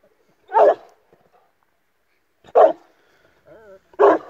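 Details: Barking from an Illyrian Shepherd and Presa Canario mix pairing: three loud, deep, gruff single barks roughly every one and a half to two seconds, with a brief wavering whine just before the last bark, in an otherwise quiet setting.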